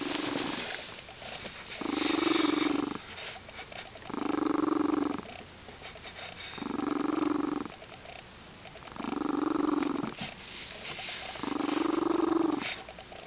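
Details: Crystal, a happy female Lynx Point Siamese cat, purring and rumbling in steady breathing cycles. Six loud rolling bursts come about every two seconds, each separated by a quieter inhale.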